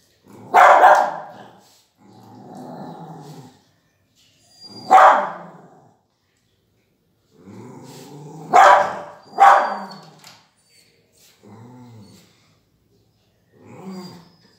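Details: A cute beagle puppy barks in short, loud bursts spread irregularly over fifteen seconds, sometimes in quick pairs. Between the barks come low, softer grumbling growls and small whimpers.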